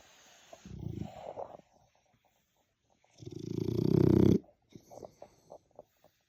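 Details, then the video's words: Snoring French Bulldog asleep: a rough low snore lasting about a second, a pause, then a longer, louder rattling snore building over a second, followed by faint clicking snuffles as it breathes. "snoring dogs all day and night"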